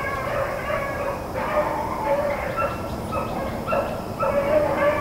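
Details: Rabbit-running hounds of Blackcreek and Bluetick lines, recorded April 4, 2013, giving short yelping and drawn-out bawling cries that overlap from several dogs.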